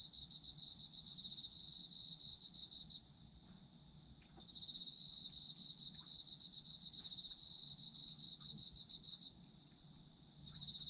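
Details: Autumn insects calling together, a constant thin high whine joined by bursts of fast pulsing chirps lasting several seconds each, separated by brief quieter gaps; soft ticking sounds and low hum underneath.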